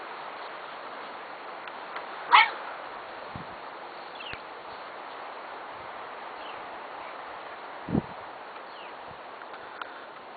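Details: A bulldog out in the rain in October gives one sharp, loud bark early on and a fainter short bark later, over a steady hiss of falling rain.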